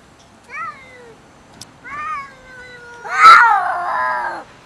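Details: Domestic cats quarrelling over food: two short rising-falling meows, then a loud harsh screech that slides into a long wavering yowl.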